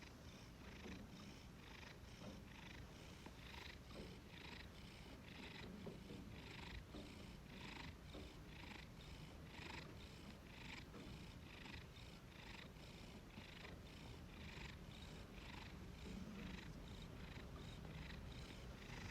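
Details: Contented pet cat snoring and purring on a freshly washed, sweet-smelling blanket: a deep continuous rumble with breathy pulses roughly one and a half times per second, even and unbroken throughout, nothing else audible.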